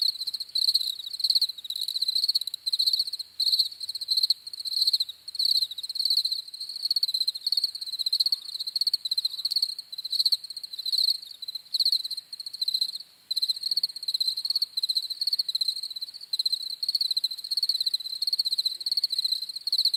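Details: Continuous cricket chorus of shrill, high trilling chirps delivered in rapid pulsed bursts separated by short pauses, steady and unbroken, with a quiet background and no other animals or voices.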